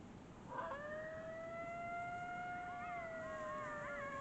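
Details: A coyote gives a long, smooth howl that slides up and holds, joined by other wavering voices.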